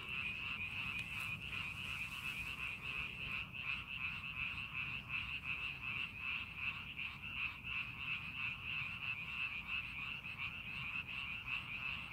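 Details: Chorus of frogs in a rice paddy being readied for farming, many voices blending into a steady, high, rattling trill that pulses quickly and evenly without pause.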